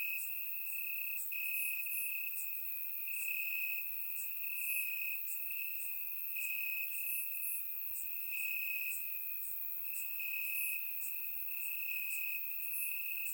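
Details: Summer-night crickets in Bulgarian grassland, recorded in surround sound: a constant piercing trill with gentle swells, accompanied by repeated higher buzzy pulses from several insects and no other sounds.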